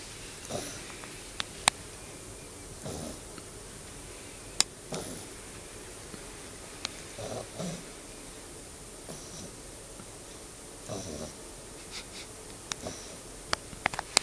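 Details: A sleeping beagle snores softly. Quiet, breathy rasps come about every two to three seconds, with a few faint clicks in an otherwise hushed room.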